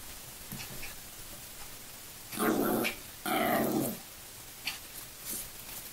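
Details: Two five-month-old Yorkshire Terriers growl and bark in play, with two loud rough bursts among softer sounds.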